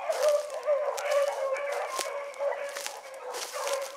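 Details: Several hound pups, including Ringo, Mingo and Choco, running a rabbit in the morning, baying together in a steady overlapping chorus of drawn-out, mid-pitched bawls with quick yelps between, repeated roughly twice a second.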